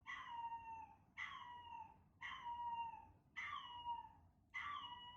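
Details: Male Chihuahua puppy Chester, born 13 November 2019 and described as timid, howling when played its own recorded voice indoors. Five drawn-out, tonal, falling wails, each about a second long, come roughly every 1.1 seconds over a faint low hum.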